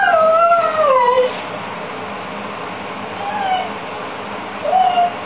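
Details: A pet Beagle left alone indoors, screaming about two minutes after its owner departed: a loud, wavering high howl sliding downward over the first second, then softer short wails around the middle and the end.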